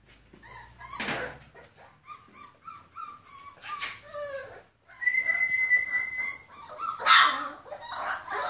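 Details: Purebred Rhodesian Ridgeback puppies, born 14 February 2016, make a rapid run of short, squeaky yelps and whimpers, some sliding downward. A long, level, high whine and more squeals with scuffling follow.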